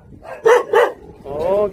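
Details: Jindo dog from the Song Baekgu brothers at a Jindo kennel gives two sharp barks, then a higher, smooth whining tone, while being told "say uncle".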